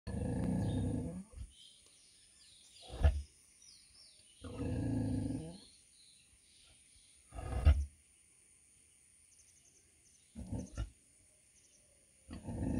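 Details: A 100 kg female pig gives deep, rough grunts in bursts of about a second, spaced a few seconds apart, with sharp knocks and short quiet gaps between them.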